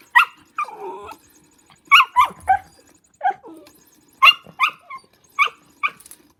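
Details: Lulu the dog playing with a motion cat toy lets out a rapid series of short high-pitched barks and yips in clustered bursts, with one drawn-out whine near the start and a faint mechanical buzz underneath.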